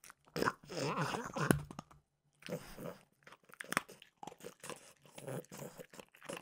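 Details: Mimosa the French bulldog crunches Trader Joe's peanut butter flavored dog treats indoors for ASMR; a long, loud burst of biting and grinding, a short silence, then steady lighter chewing and smacking.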